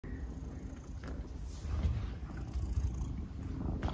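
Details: A pet cat named Soonmoo purring in the morning while following its owner around before he leaves for work; a low, steady rumbling purr with faint background sounds.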